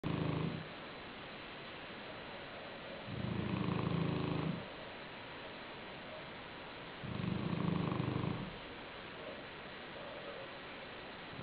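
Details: Black Shar-Pei named Joshua asleep on a pillow, snoring: low, rough, pulsing snores about one and a half seconds long, returning roughly every four seconds with quiet breathing gaps between.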